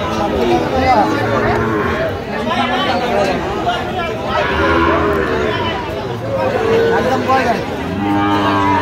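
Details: Sahiwal bull calves at a cattle market bought by a farmer from Khulna, Bangladesh, on 17 October: several deep, drawn-out moos rise and fall across the recording over the steady chatter and bargaining voices of a crowd.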